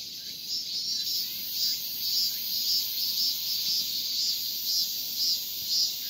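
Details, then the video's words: Male cicada calling to attract a female: a continuous high buzzing drone pulsing in regular swells about twice per second, steady and unbroken throughout. "암컷 매미를 부르는 수컷 매미의~맴맴맴"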